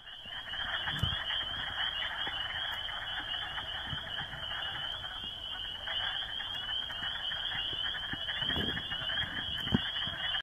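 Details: A dense chorus of spring peepers, with wood frogs also calling, on 30 March 2018 in Bristol County, Massachusetts: countless high piping peeps merge into a steady shrill ringing.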